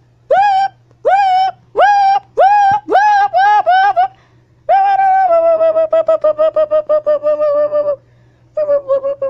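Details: Siamang gibbon hanging and swinging on a wire while whooping and shouting: loud, clear, rising whoops repeated about twice a second, then a long fast run of hooting notes and a final whoop, over a low steady hum.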